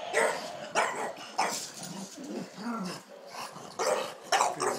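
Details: Dog at play, apparently a bulldog-type breed, giving rough broadband growls and short barks in irregular bursts about every half second to second, with brief pauses between bursts.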